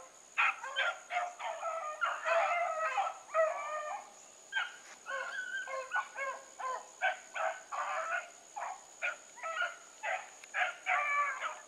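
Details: Pack of Bluetick hounds on the run with Sassy, producing a dense chorus of short, clipped bays and yelps, dozens of overlapping cries tumbling out rapidly and unevenly throughout.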